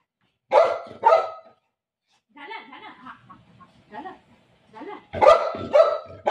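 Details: Barking from Milo, a pet dog welcoming mummy home: two loud barks open, soft talking follows, then another pair of sharp barks at the end.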